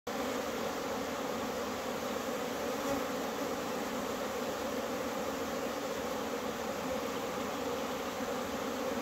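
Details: Many bees flying in April, frenzied after a cold spell: a dense, steady, low droning hum of overlapping wingbeats, unbroken throughout, with no other clear sounds.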